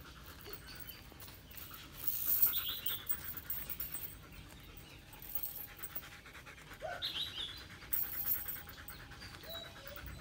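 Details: Long-haired German Shepherd, twenty months old, panting steadily with quick rhythmic breaths, joined by a few brief higher vocal sounds around the middle and end.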